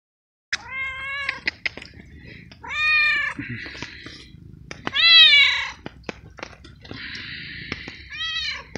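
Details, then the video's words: Young, hungry feral cat meowing outdoors on a cold, rainy night while waiting to be fed; loud, bright meows rising then falling, about four in nine seconds, amid rain patter and clicking noises. "Helping And Feeding Meowing Cat in a Rainy Night"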